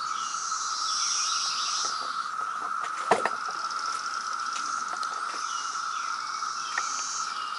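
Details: Loud chorus of the 2017 periodical cicada brood at Reston, Virginia: an even, steady drone under scattered clicks and one sharp knock, with higher hissing calls that come and go.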